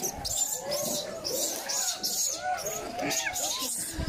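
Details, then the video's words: Abandoned infant macaque crying on the ground after its mother left it, giving repeated arched wails that swell and dip about every half second, with a hissy background. "Baby monkey lying on the ground crying"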